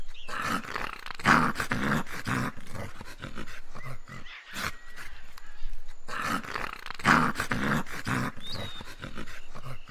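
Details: Dog giving a continuous run of deep, rough barks and growls, loud throughout with short pauses, and a brief high chirp near the end.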